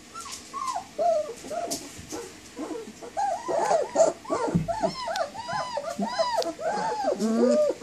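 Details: German Shepherd puppies, 19 days old, cry for mom: scattered soft whimpers build into a busy chorus of looping, upturned whines and a few yips.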